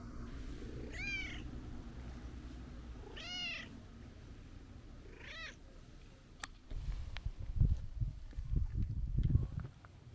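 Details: Brown tabby-and-white stray cat scolding on reunion after a long absence: three loud, harmonic meows, each rising then falling, about two seconds apart, followed by rustling, knocks and a low traffic rumble.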